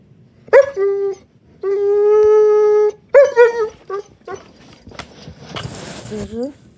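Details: German Shepherd puppy named Daisy crying because it is bedtime, recorded 15 May 2021: high whimpers and a long steady whining howl, then short yelping cries and a rising whine near the end.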